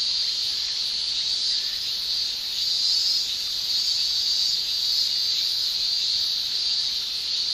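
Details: Japanese summer chorus of male cicadas producing tymbal song, an unbroken high-pitched shrilling. It surges gently louder around the middle, with a few brighter whistling streaks inside the buzz.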